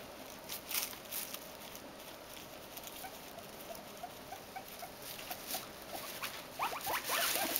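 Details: Three pet guinea pigs in a modified Snak Shak hideout with two enlarged doorways; soft patter and rustling of bedding throughout, then a burst of short, squeaky, rising and falling notes near the end.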